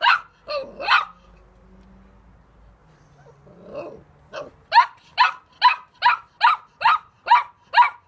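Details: Puppy barking in short, sharp yaps: three quick barks, a quiet lull with a low murmur, then a steady run of about nine barks spaced roughly half a second apart.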